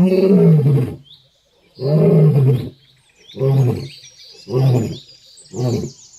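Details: A lion on a road roars in a series of deep, throaty bursts, each shorter than the last.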